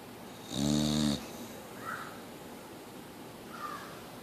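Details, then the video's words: Snoring Boxer named Mia: a single loud, throaty rasp lasting half a second, followed by quiet room and two faint soft breathy whimpers. "Mia The Boxer Dog still Snoring!"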